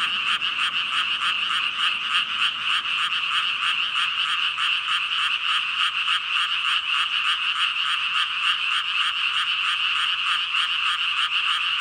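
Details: A massed chorus of about 5,000 frogs, a dense unbroken wall of overlapping ribbit-ribbit croaks, rapid pulsing calls blending into a steady bright drone with no gaps and no other sounds.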